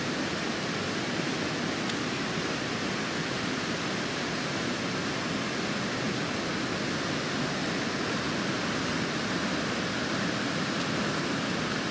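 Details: Steady broadband rushing noise, like running water or a waterfall, fills the whole stretch with no animal calls standing out.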